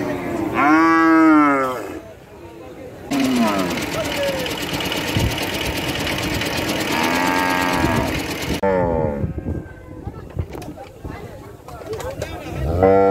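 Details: Cow moos several times, with harmonic calls rising and falling. A loud mechanical whirring like an engine or machine drowns the middle stretch, and a moo is partly heard through it.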